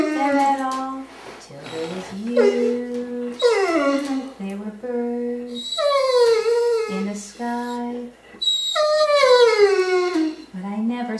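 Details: Female Curly-Coated Retriever, ten years old, howling with a person singing "Till There Was You" during her nightly routine indoors; wavering, falling howls answer short, flat, low human notes in turn, several howl phrases in sequence.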